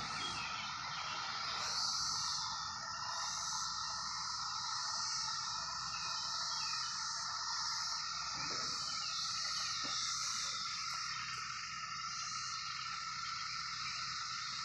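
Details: Periodical 17-year cicadas, out for a few weeks in fruit trees, keep up a continuous shrill hissing chorus with an even humming drone, rising slightly near the start.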